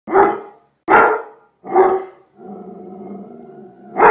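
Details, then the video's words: Doberman Pinscher barking: three loud, harsh barks about a second apart, then a drawn-out low growl, followed by another bark. "Sonido Doberman Pinscher"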